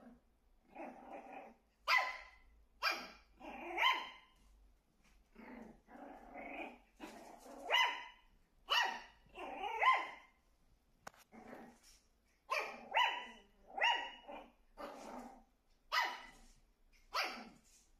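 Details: A Shih Tzu called Meimei indoors, reacting to her reflection as though a second dog were there: a steady run of throaty growls that break into higher, yappy barks, roughly one burst per second, throughout.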